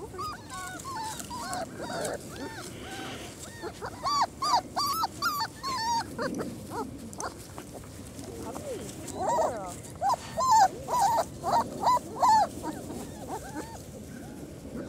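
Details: Four-week-old German Shorthaired Pointer puppies outside for the first time, a litter crying together in thin, wavering high whimpers and yips, bursts coming in clustered runs over several seconds, with occasional women's voices in the background.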